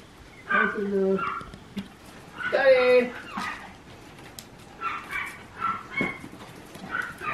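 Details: A Papillon growing ever more active, recorded 21 March 2024. It gives short high yips and a drawn-out whine, mixed with people talking in Japanese.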